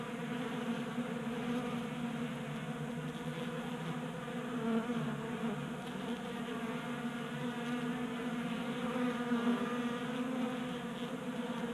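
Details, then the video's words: Many honey bees feasting at a 3D printed bee feeder in a Colorado garage on a 60-degree January day; continuous low buzzing drone with stacked tones, rising slightly as individual bees pass close. "45 Minutes of Honey Bees Feasting from 3D Printed Bee Feeder"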